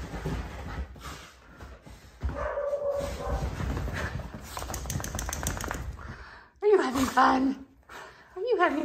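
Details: Basenji hybrid Benjamin at play with his 16-week-old Border Basenji son Walnut; after quieter rustling, loud wavering, bending yodel-like whines come in two bursts near the end, with a person's speech and handling noise throughout.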